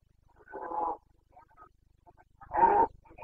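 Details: Rutting Carpathian stag in the forests of Bucovina, Romania, late September 2022: two rough, throaty bellows about two seconds apart, the second louder and fuller, with a faint low rumble between them.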